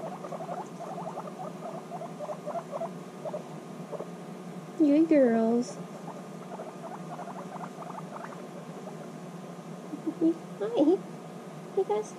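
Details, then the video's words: Reunited female guinea pigs, apart six months, bonding intensely; a fast stuttering pulsed chatter comes in runs, broken by a woman's soothing voice in the middle and near the end. "Guinea Pigs Reunited After 6 Months Apart: Intense Bonding"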